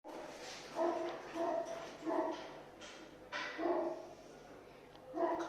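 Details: Two male Bichon Frise puppies giving short, quiet, high yapping barks in a series of bursts about every half second to one second, with low background hiss.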